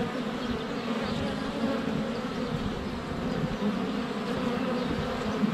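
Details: Continuous, even hum of a crowd of honey bees at the hive entrance, recorded at close range with a GoPro Hero 7 Black during sunny February weather; no other clear sounds.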